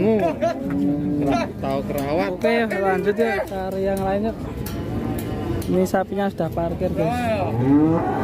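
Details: Cattle from Indonesian cattle farms give a run of deep, drawn-out moos that swell and bend in pitch, several overlapping over eight seconds, with short clicks and knocks in the background.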